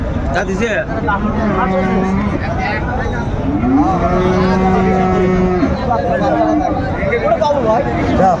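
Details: Sahiwal bull calf about 14 months old at a cattle market in Chattogram, Bangladesh, giving long low moos, one drawn out for nearly two seconds, amid steady crowd chatter and bargaining voices.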